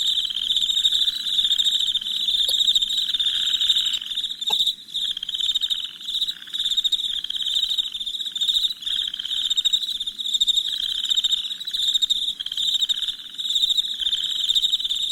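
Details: Crickets chirping at night in a continuous high, buzzing trill of rapid pulses that wavers gently in volume, broken only by two brief sharp clicks early on.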